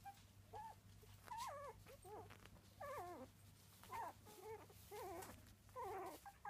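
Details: Miniature Dachshund puppies, three weeks old, whimper in wavering, quavering cries that bend up and down in pitch, coming in bursts of about half a second with brief gaps, against a low steady hum.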